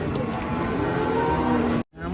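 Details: Agitated cattle being unloaded from a swaying truck give a drawn-out, harmonic moo that slides slightly downward, heard against heavy rumbling background noise and voices, with a brief dropout near the end.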